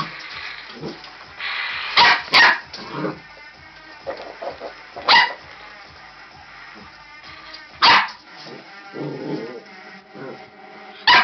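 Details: Border Collie puppy (red merle tricolour, born 18-11-13) at play with a robot dinosaur: a string of abrupt barks spaced two to three seconds apart, with whines, toy whirring and electronic tones between them.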